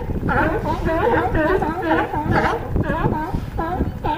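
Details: California sea lions hauled out on a harbor dock at Crescent City, California, giving a dense chorus of overlapping hoarse, honking barks, repeated rapidly from several animals at once.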